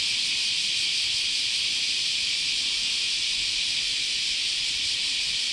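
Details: Cicadas singing in a continuous summer chorus at Chionji Temple, Kyoto, Japan, a steady hissing high-pitched buzz that never breaks, with a slight pulsing texture and nothing else clearly heard.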